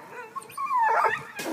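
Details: A Black and Tan Coonhound, after a cat up a tree and climbing it, gives a brief, high whine that slides smoothly downward in pitch.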